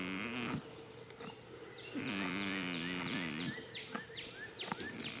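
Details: Goat asleep in a spring field gives two humming, wavering snores, the second drawn out for over a second; many sharp, falling bird chirps fill the gaps and the end.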